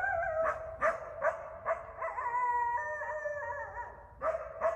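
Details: At night in a Bellingham, Massachusetts backyard during the January–March mating season, an eastern coyote (coywolf) gives sharp yipping barks, then a long wavering howl, then barks again.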